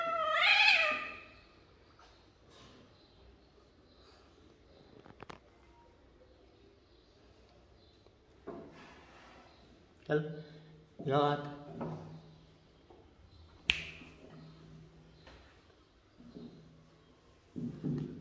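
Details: Domestic cat indoors with a short meow at the start, followed by quieter scattered bursts and a few clicks and knocks. A person talks softly between the sounds.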